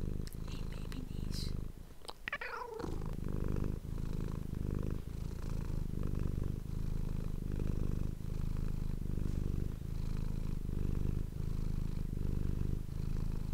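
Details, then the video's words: Domestic cat purring, recorded close on an ASMR microphone; a steady low rumbling purr pulses in slow breaths, with a brief higher rustle or squeak near the start. "ASMR cat purring ❤ Manis die aan het spinnen is"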